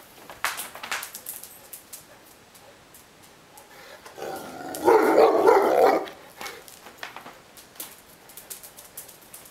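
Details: Neapolitan Mastiff named Ovelix complaining and wanting to play: a single long, deep, rough bark-growl lasting about a second in the middle, with faint clicks and rustles around it.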